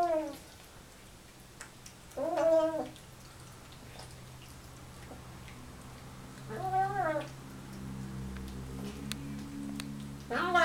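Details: Siamese cat, a male, meowing while eating: several drawn-out, wavering meows spaced a few seconds apart.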